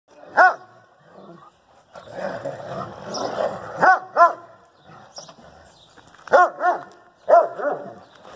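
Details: Central Asian Shepherd Dog playing in Michigan, giving deep, loud, single and paired barks spaced a few seconds apart, with rustling and muffled background noise between them.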